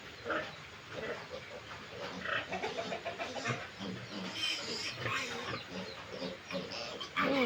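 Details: Domestic pigs on a backyard farm in the province, a new sow close to giving birth with 25-day-old piglets; irregular low grunts and short snorts overlapping, with higher squeaky calls near the end.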